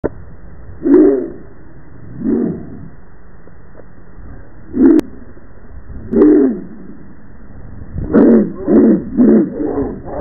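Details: A Rottweiler running back and forth and spinning in circles in a yard with several dogs gives deep, drawn-out barks, slowed so they sound low and booming.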